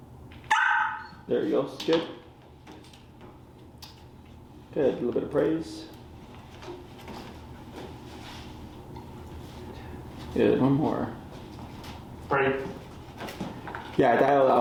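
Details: Finnegan, a very vocal feral dog at a Chicago training class, during an introduction to the e-collar: short sharp barks and yelps in scattered bursts, some clustered in pairs, with a person's speech in between in an indoor room.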